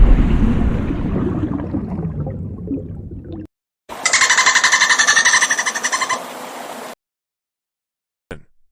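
A low, rumbling wash fills the first seconds before a break. Then a dolphin produces a fast, buzzy train of clicks layered with faint whistle-like tones, ending abruptly.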